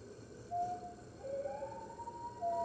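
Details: Captive red wolves at the NY Wolf Conservation Center howling with the center's other wolves on an early morning, 15 March 2013, recorded by webcam. Several overlapping howls: one glides down, another rises slowly toward a higher, held pitch.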